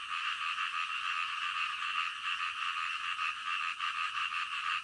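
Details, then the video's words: Frogs at night in a thick, unbroken chorus of overlapping croaks, a constant buzzing pulse at steady loudness. "SUARA KODOK DITENGAH MALAM"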